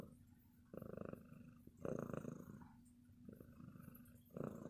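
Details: Loud purring from a loving pet cat, a coarse vibrating buzz coming in separate bursts with each breath, quieter gaps between, and a constant low hum running underneath.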